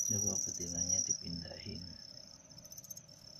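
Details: Captive male crickets housed with one female to encourage singing; a thin, shrill high trill continues beneath a man talking for the first two seconds, then fades quieter.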